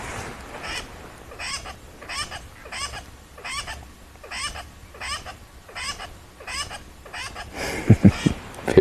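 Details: Agitated tree squirrel at Rietspruit Game Reserve in South Africa's Lowveld during a sunset drive, alarm calling with maximum effort; a long steady series of harsh, raspy chatters about every 0.6 seconds, ending with louder knocking and rustling noises.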